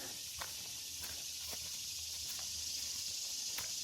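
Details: Insects chatter loudly in floodplain wilderness near the 5.5 mile marker of the Black Bear Wilderness Area Loop Trail, Central Florida, on June 7, 2025. A dense, continuous high-pitched buzzing fills the air, with faint footstep ticks.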